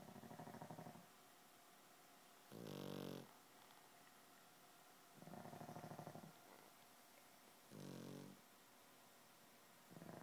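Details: Pair of pugs asleep and snoring in unison, with rasping, buzzy low snores alternating with short, sharper snorts, repeating roughly every two and a half seconds indoors.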